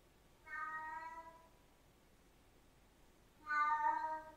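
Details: Siamese cat giving two drawn-out, harmonic-rich meows, the first about a second long and a slightly louder second one about three seconds later, with near silence between them.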